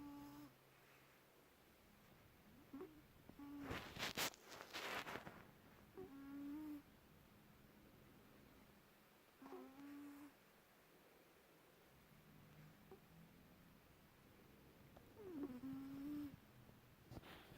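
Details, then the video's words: A pet cat in deep slumber at home in Perth, Western Australia, gives whistly snores with gliding pitch every three to five seconds; a brief rustling burst near the fourth second. "cat, snoring"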